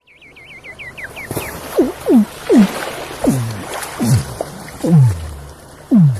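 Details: A sleeping Weddell seal gives eerie downward-sweeping underwater calls, repeated roughly every second after a quick run of high chirps.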